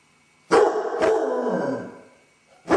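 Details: A basset hound named Dodger, alone in the house with separation anxiety while his owners are out: two sharp onsets merge into one long, sagging baying howl lasting over a second, then another bark begins.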